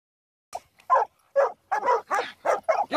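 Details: Treeing Walker Coonhound pups in training on a raccoon: a quick run of short, rough barks and yelps, about eight in under three seconds, with nothing else behind them.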